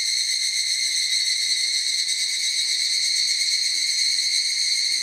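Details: A group of higurashi cicadas calling in a forest, overwhelming as a chorus: continuous piercing high-pitched ringing with layered bands and a rapid, even shimmer throughout.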